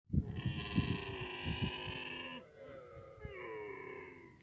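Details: Camel with its calf: a loud, strongly harmonic bleating cry held for about two and a half seconds, then a softer wavering tail. Low thumps and handling noise sit underneath.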